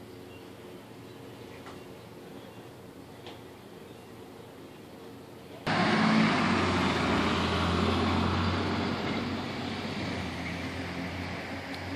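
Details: Low outdoor hum, then a vehicle rushing past loudly from about six seconds; no animal voice.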